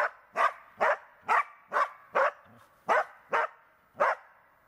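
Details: Tara, a Border Collie in search and rescue training, barks steadily: nine loud, clipped barks spaced about half a second apart, with a quiet background.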